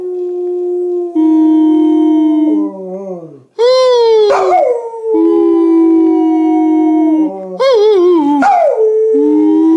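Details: Howling session of Baxter, a male springer spaniel, alongside his owner; long wavering howls sit above a lower sustained human voice, with rising yips and breaks between drawn-out notes.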